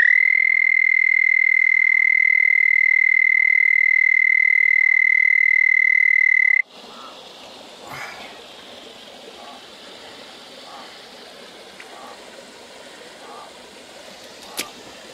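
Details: At a remote desert canyon creek at night, a frog gives a long, steady, high musical trill holding one pitch for several seconds.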